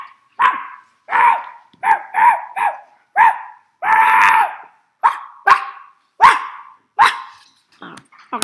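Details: Indoor dogs, a confused fox terrier and a schnauzer, answering an owner's imitated barking: a series of short, whiny, downward-bending barks, with one longer, broader bark-like sound midway and a soft squeaky whine at the end.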